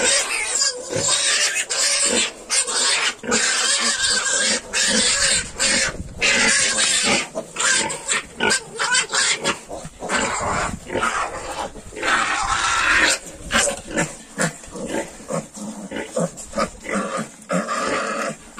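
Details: Noisy, broadband squeals from 22-day-old Yorkshire piglets, packed with overlapping grunts. Scuffling and rustling run throughout with only brief gaps.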